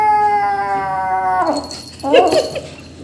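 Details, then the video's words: Rescue kitten making an annoyed sound during feeding while a person helps; one long, steady, clear meow that drops away at the end, followed by a short rough vocal burst. "Rescue kitten Making Annoying 😾 Sounds while Eating"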